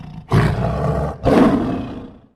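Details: Lion growling to warn approaching animals off its territory, played in a classroom listening lesson on animal sounds: two loud, deep, rough roars, each about a second long, separated by a short pause.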